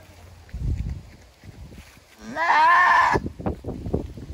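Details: First-time mother goat screaming while giving birth to a single kid after a hard labour; one long hoarse cry rising from a low onset into a loud rasping wail, with soft thumps and rustling before it.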